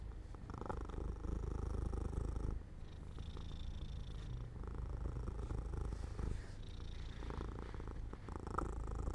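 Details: Pet cat dozing off by an open window in the sun, giving a continuous low purr, a soft rhythmic rumble that dips quieter for a moment partway through and then resumes.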